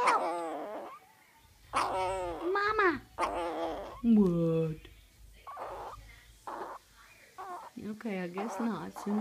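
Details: Tiny sick Boston Terrier puppy with a respiratory illness making whimpering, drawn-out 'mama'-like cries and a low grumbling moan indoors, mixed with a woman's eager coaxing voice repeating 'what' and praising it.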